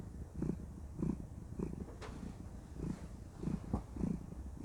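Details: Content female cat purring while cuddling indoors: a low, rumbling purr pulsing in soft swells about every half second to second, steady and close, with a faint room hush behind.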